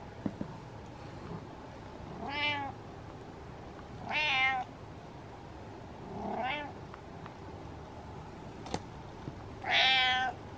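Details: Cat named Butters meowing in distress, four drawn-out harmonic meows spaced about two seconds apart, the last loudest and longest, over a quiet room hum with a sharp click near the end.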